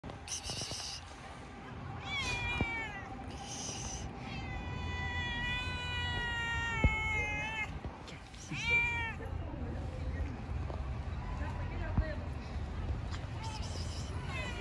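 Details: Angry pregnant cat attacking another cat while it eats: long, drawn-out yowls with a wavering pitch, several sustained calls in a row, then a shorter rising wail, over a steady low rumble of background noise.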